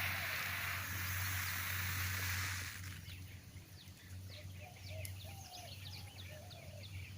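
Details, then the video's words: Warning noise from saw-scaled vipers opens with a loud, sustained rasping hiss lasting over two seconds, then fades, leaving scattered bird chirps and whistles over a low background hum. "Saw-Scaled Vipers making warning noise"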